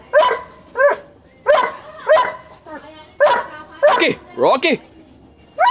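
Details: Doberman barking: a run of about nine sharp, tonal barks spaced roughly half a second to a second apart, a couple of them doubled, with a quieter background between bursts.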